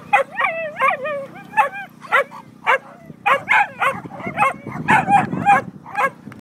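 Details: Nine-year-old Staffordshire Bull Terrier that loves lure coursing, excited at a coursing event: rapid run of high yelping barks and whining yips, some with wavering pitch, roughly two a second, over a low steady hum and faint voices.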